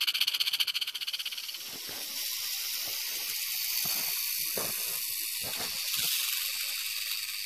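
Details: Loud western diamondback rattlesnake rattle, opening with clearly pulsed strokes that blur into a sustained hissing buzz, with some low thumps throughout.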